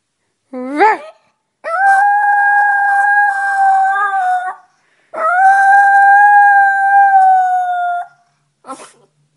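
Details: Chihuahua indoors howling as if singing the blues: a short rising yip, then two long steady tonal howls of about three seconds each, slightly falling at the end, and a brief final yelp.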